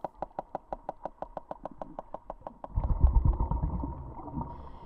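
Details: Sperm whale hunting in the canyons of the Pelagos Sanctuary, picked up by hydrophone, sending clicks that echo off squid and rocks to locate prey: a fast, evenly spaced train of sharp clicks, about four per second, then masked by low rumbling water noise.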